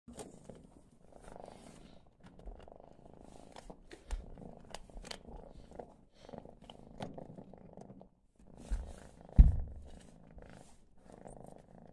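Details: A hungry female stray kitten, newly brought home, purring loudly while eating her first meal of kitten food; a soft, low continuous rumble broken by brief pauses, with clicking eating noises and a sharp bump near the end.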